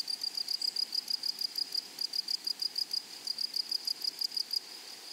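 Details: Grasshoppers singing in a flowery meadow: steady series of bright, high scratchy chirps about three per second, pausing briefly twice, against a faint background hiss.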